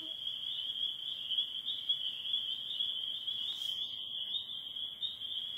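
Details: Spring peeper chorus in northern Michigan during the last days of spring calling: a dense, unbroken high-pitched shrill of many overlapping peeps forming a steady ringing band, with a brief faint rustle partway through.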